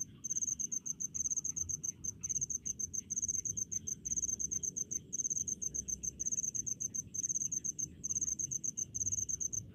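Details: Rice-field crickets give rapid trains of piercing, evenly pulsed chirps, each burst lasting about a second, repeated almost without pause above a quiet low background hum.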